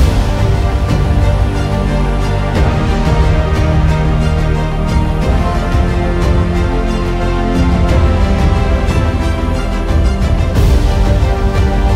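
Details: Loud, dense theme music plays throughout with no animal sounds.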